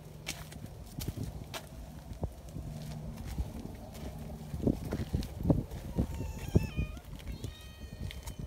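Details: Community cats gathering in the mountains; footsteps and low thuds for several seconds, then a couple of short, rising harmonic meows near the end.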